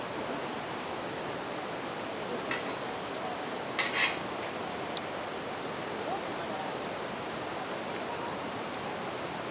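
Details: A steady high ringing from bell crickets continues at night alongside a campfire and river, with the river's constant hiss below and a cluster of loud crackling pops from the fire near the middle.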